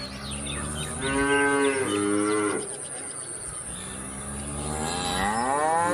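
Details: Cow mooing: two long harmonic moos, then a third rising moo near the end, with a steady high background hiss throughout.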